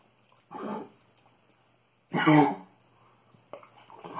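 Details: Vaccinated female dog with kennel cough, coughing in a small indoor room: two harsh, honking bursts about one and a half seconds apart, the second louder and rougher, followed by faint household noises.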